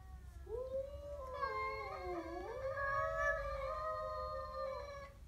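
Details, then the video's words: Siamese cat confronting a stray with one continuous moaning yowl, bending down and back up in pitch, swelling and wavering for nearly five seconds over a faint low rumble of background noise. "My siamese cat growls at a stray"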